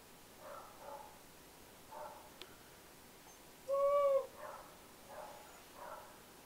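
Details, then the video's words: Siberian husky that rarely barks, recorded howling: one clear, smooth, slightly arched tonal howl of about half a second stands out, surrounded by several fainter, softer howl-like calls in a quiet setting. "Howling husky"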